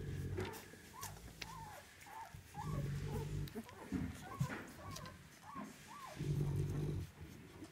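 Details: Ten-day-old Mastiff outcross puppies, 75% Mastiff and 25% Greyhound, giving short squeaky whimpers that rise and fall in bent arcs, several in quick succession, over steady low rumbling background noise.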